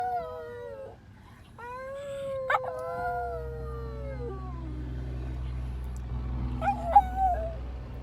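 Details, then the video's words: Pet dog howling in response to a fire truck siren: long drawn-out tones, rising then gently falling, with a steady low engine rumble underneath and a short wavering howl near the end. "My dog howling at the fire truck siren"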